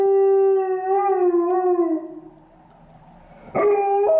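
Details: Female Alaskan Malamute lying on stairs on a gloomy afternoon, howling at a passing ambulance: a long, steady, harmonic howl that dips slightly, a short pause, then a fresh howl that starts abruptly.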